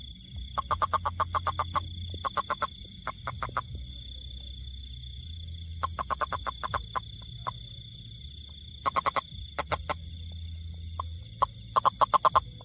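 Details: Toad calling: short, sharp, clicking croaks in quick bursts of three to eight notes separated by pauses, over a steady high-pitched whine and a low background rumble.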